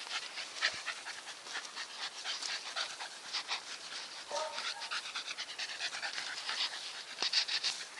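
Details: Fast, rhythmic panting from Nikita the Staffordshire Bull Terrier: rasping in-out breaths, several per second, held evenly throughout, with a brief low tonal note midway.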